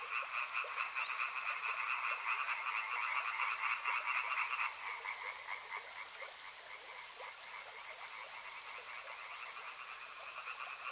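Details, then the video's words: Loud pulsing frog chorus by a river that drops sharply in strength near the fifth second, then continues as quieter trilling in two bands over flowing-water hiss. "Frog Sounds | Soothing sounds of river and frogs"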